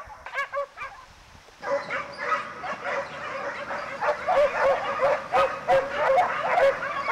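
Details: Pack of Segugio Italiano hounds, European champions 2004, hunting hare: after a few separate yelps, a dense chorus of overlapping high, yelping bays starts and carries on in quick, uneven bursts from many dogs at once.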